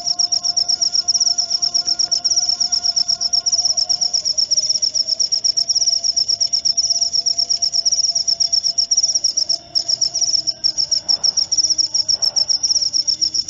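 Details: Sleep-therapy and rat-repelling cricket sound: an unbroken, shrill pulsed trill of quick chirps, briefly faltering near the end, over a faint low drone and a few soft background noises.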